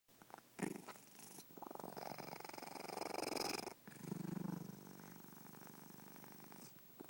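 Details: Domestic cat snoring in its sleep, a low, rapid fluttering rumble drawn out in long breath-length phrases, with a few short pauses between breaths in a quiet indoor room.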